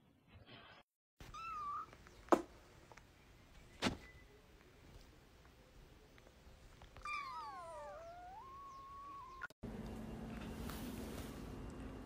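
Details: Domestic cat indoors giving two wavering, drawn-out meows, the later one sliding downward and then levelling off. Faint knocks and thumps come in between, and a burst of broadband noise follows.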